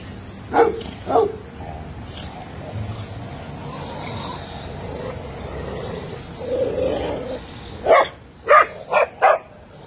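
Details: Dog at a cage-free boarding facility in Scottsdale, Arizona, barking: two short sharp barks near the start, a quiet stretch with faint background noise, then a quick burst of four barks at the end.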